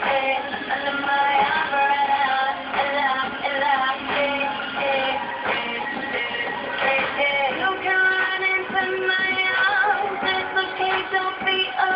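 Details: Synthesized singing over continuous electronic music fills the whole stretch, with wavering tonal melody lines and no animal sound.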